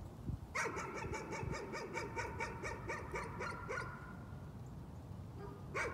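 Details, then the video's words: Dog's nuisance barking: a fast run of about a dozen sharp, even yaps over roughly three seconds, then a brief pause and a single bark, with a low rumbling background. "Nuisance barking again."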